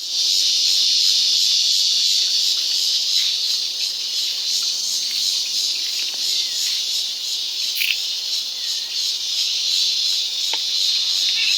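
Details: Cicada calling in Colorado, heard loudly from inside a kitchen: a continuous, intense, high-pitched buzzing drone with a fast steady pulsing throughout, barely changing, with faint household sounds and a few clicks underneath.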